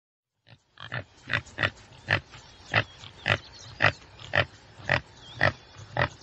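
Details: Common tsessebe giving a steady series of short, harsh snorting grunts, roughly two per second, with faint bird chirps in the background.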